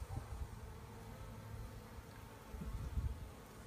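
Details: Polish beekeepers gathering a honey bee swarm: a continuous low hum of many bees with a faint tonal drone, occasional knocks and rustles breaking through, louder again toward the close.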